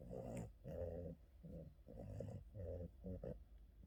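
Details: Boston terrier during an afternoon nap, snoring in low, rough, rattling breaths, each about half a second long, repeated every half second or so, in a quiet indoor room.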